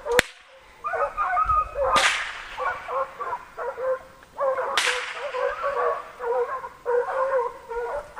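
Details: Pack of six American foxhounds giving voice while chasing a deer on a hunt: overlapping mid-pitched bays and yelps, several voices at once in broken bursts, with three sharp whip-like cracks and a quieter opening gap.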